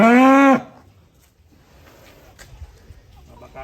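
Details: Fat cattle from a group of colourful cows: one loud, brief, tonal moo, steady and rich in harmonics for half a second before breaking off abruptly, followed by quiet background with faint clatter.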